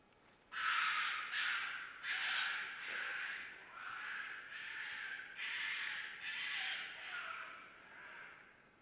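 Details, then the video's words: Mating-season fox scream: a loud, raspy series of about eight harsh, wheezy cries run closely together over several seconds, each breathy and noisy rather than tonal, fading slightly toward the end. "Fox Screams"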